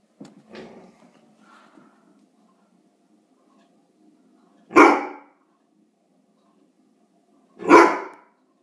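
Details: Irish Setter barking indoors on guard, filmed 19 April 2016 while his teeth were being brushed, set off by something though nothing was outside. Soft whines and huffs open, then two deep, loud single barks about three seconds apart in a small room.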